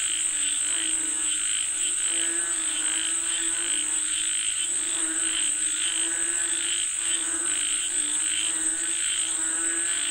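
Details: Frogs croaking together, said to be calling for rain: overlapping low harmonic croaks pulse steadily beneath rhythmic higher buzzy notes, with a constant thin high-pitched whine above throughout.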